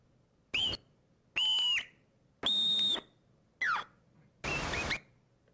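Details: Vancouver Island marmot alarm call repertoire of ascending, descending, flat, kee-aw and trill calls, played back as five separate high whistles about a second apart: a short note, a curved whistle, a long flat tone, a falling kee-aw, then a buzzy trill.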